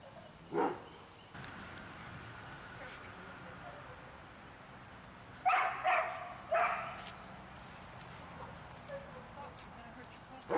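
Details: Large dogs barking outdoors on a walkabout, with a single bark early on and then a cluster of three barks midway against a steady background hiss.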